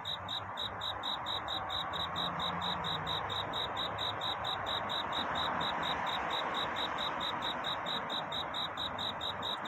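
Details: Night-time cricket song of courtship, bright high chirps ticking at a regular pace of a little over two per second, set against a fuller hissing and humming background.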